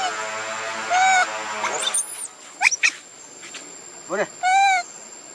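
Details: Baby monkey named Leo Rainbow, alone and calling for its mother, crying from hunger for milk; loud, clear wailing cries near one second and again around four seconds, with a wavering, pulsed cry between them, plus short squeaks over steady background hiss.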